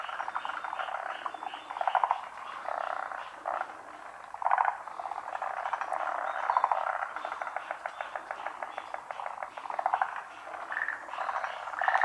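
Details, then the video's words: Many frogs chorusing at a pond, species not identified; overlapping rattling trills and croaks swell and fade, with louder bursts of rapid clicking pulses every few seconds. "カエルの大合唱／Large chorus of frogs"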